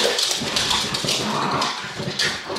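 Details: Two female miniature schnauzers indoors, eager for a big blue yoga ball: high-pitched whining and yipping runs throughout, over a noisy room with hiss and scuffling.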